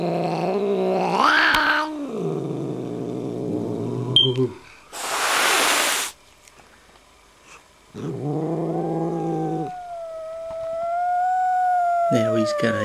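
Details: Kitten growling back at an older, dominant cat: drawn-out, low droning growls that swell into rising yowls, a sharp burst of hissing in the middle, then a long, wavering, moaning yowl that slowly falls in pitch.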